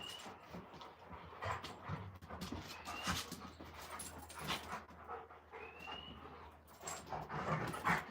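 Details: Alaskan Malamutes Moose and Raven playing outside on a live stream, rough broadband panting bursts in uneven runs, with occasional short rising bird whistles and a person talking nearby.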